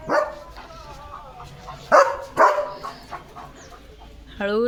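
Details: Evening walk in the green countryside with Leo the German Shepherd, who gives a bark, then two close, forceful barks a few seconds later, and ends with a drawn-out rising whine, while a person speaks softly.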